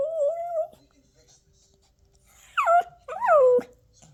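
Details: Tantrum from a Toy Poodle puppy indoors: a steady held whine, a pause, then two sharp cries that slide downward in pitch, with quiet room sound between.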